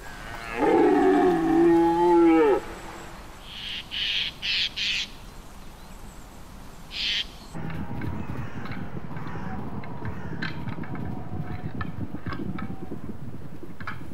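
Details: Red deer stag bellowing during the rut, straining his voice box to impress females. A loud, harmonic bellow lasts about two seconds and falls slightly in pitch, then come short bursts of sound and a long stretch of steady background noise.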